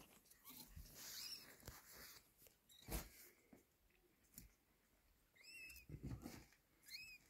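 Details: Mother cat taking her kitten from a hand; thin, high kitten mews come in three separate bursts, each a quick arched squeak, over steady background hiss and soft rustling and tapping.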